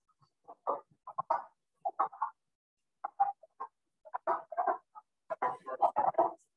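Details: Wood frogs, early-season callers, give hoarse, clucking chuckles in short, irregular bursts, like a sputtering car engine that won't start.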